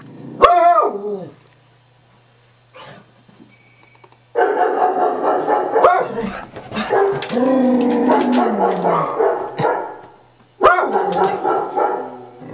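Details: Beagle reacting to computer-played sound effects: a sharp falling yelp, a pause, then a long stretch of continuous wavering bays and barks, ending with another loud yelping bark.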